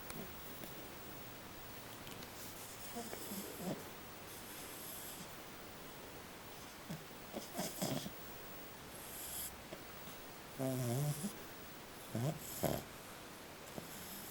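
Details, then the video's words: Maddie, a small French Bulldog, snoring while she sleeps: soft, raspy snorts come in irregular short bursts, with a louder rattling snore about two-thirds of the way through, over a quiet indoor background. "Maddie the French Bulldog snoring"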